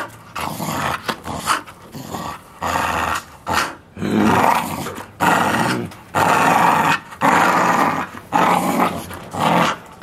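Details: A Bull Terrier growls in repeated throaty bursts, each about a second long, while chewing a solid bicycle tyre wrapped in nylon thread, which it cut through within 20 minutes.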